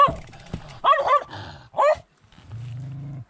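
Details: An unseen dog barks from roadside bushes as a cyclist rides past during an ultramarathon race through Poland, giving a few short harmonic barks near the middle, then a low steady hum.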